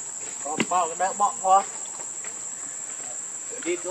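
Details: Baby monkey Leo, hungry and crying to beg its mother for milk: a quick burst of about five wavering, harmonic squeals within one second, then a brief cry near the end, over a constant high-pitched insect drone.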